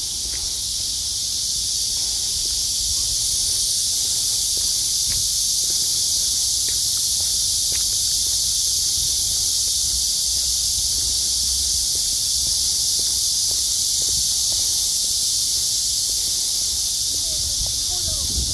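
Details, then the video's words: Cicada song filling an August summer day after heavy rains, sky clear and blue: unbroken, intense high buzzing drone throughout, a few faint clicks and a soft low background hum. "매미소리와 파란 하늘 제대로 된 한 여름날 입니다."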